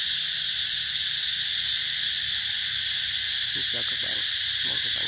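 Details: Steady high-pitched cicada buzzing fills the air at Mỹ Luôn eco-tourism area with its durian and Thai jackfruit gardens, 2021; a few brief human voice sounds break in near the end.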